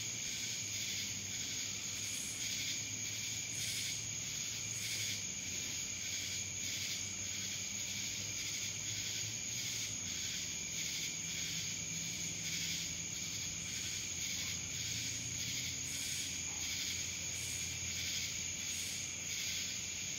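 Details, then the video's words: Dallas, Georgia cicada chorus, a shrill steady drone with rapid throbbing pulses repeating about every second, accompanied by faint low rumbling in the background. "Cicadas Black Screen Sounds"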